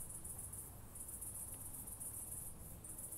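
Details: Southern oak bush-cricket recorded at Starnberg, Germany, 7 August 2023, with an ultrasound detector: a high, fizzing buzz that keeps breaking off in short gaps, roughly every second, over a dull low hum.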